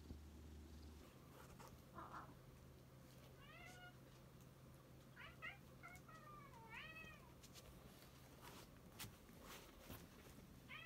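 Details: Shaorin, an odd-eyed white cat rescued in autumn 2018, is affectionate on a lap; after a brief low purr, a series of short, rising-then-falling meows come in quick succession, some drawn out and wavering, with small clicks between.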